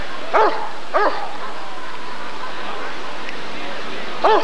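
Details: Barking Rottweiler at the 1994 ADRK Körung: two quick, gruff barks in close succession, a pause of about three seconds with quiet background murmur, then a third bark.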